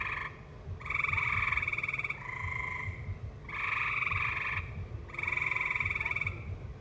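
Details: Tree frogs in a valley sing alongside live music, in bursts of buzzy, pulsed trills, each about a second long, with brief pauses between.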